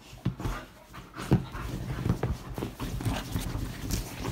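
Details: Female Bull Terrier going crazy, celebrating at getting to sleep on the bed: rapid, low, breathy panting and snorting bursts throughout, with occasional sharper huffs, in a quiet setting.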